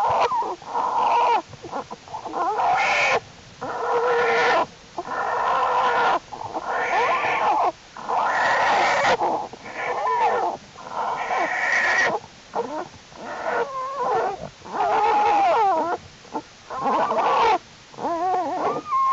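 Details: American black bear cubs of Jewel the black bear in their winter den, January 31, 2012, unusually warm weather, cubs crawling around more; bursts of harmonic squalling and wheezy cries, repeated in quick runs with short pauses, wavering tones near the end.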